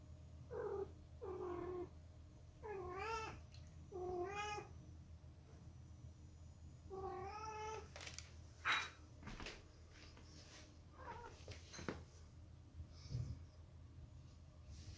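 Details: Silver British Shorthair cats, a family group indoors, give a run of drawn-out meows in the first five seconds, several bending up then down in pitch. Quieter meows, short clicks and thumps follow, over a steady low room hum.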